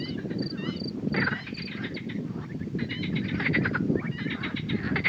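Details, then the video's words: Male marsh frog (Pelophylax ridibundus) from Romania's herpetofauna. It calls with grey vocal sacs inflating, giving rattling, pulsed croak series in the second half. A dense background chorus of other frogs and high, thin tonal notes carries throughout. "Mascul de broască mare de lac (Pelophylax ridibundus) cântând"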